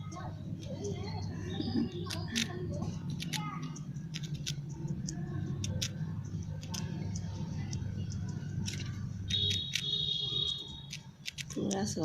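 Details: A squirrel eats a biscuit it holds in its fingers, gnawing with sharp, rapid crunching clicks that carry far, while a person talks nearby.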